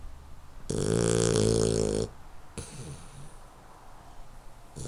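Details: A sleeping 12-week-old male Hungarian Vizsla puppy gives one loud, rasping, buzzy snore, then quieter breathing.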